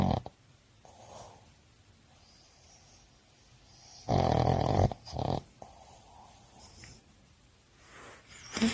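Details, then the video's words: Boston Terrier sleeping after a lively walk, snoring softly: quiet raspy breaths with two louder snorting bursts around the middle, then a person speaking Korean afterward. "보스턴테리어 , 강아지코골이 귀여운강아지 자는모습 bostonterrier 강아지코고는소리"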